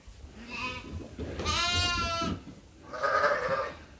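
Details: Farm sheep calling while waiting to be fed during lambing season chores; three bleats, the middle one loud and wavering with rich harmonics, flanked by softer calls, over low rumbling background noise.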